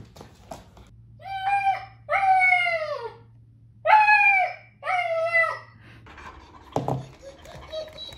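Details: Talkative German Shepherd named Tiger, indoors, gives four drawn-out, harmonic whining cries, each bending downward. They come in two pairs about a second apart, with a short clatter near the end and quiet room sound.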